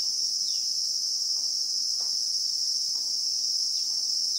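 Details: Christmas beetles (Anoplognathus) droning in South African bushveld with acacia trees: one loud, steady, high-pitched whine throughout, with faint descending bird notes near the start and end and scattered soft taps.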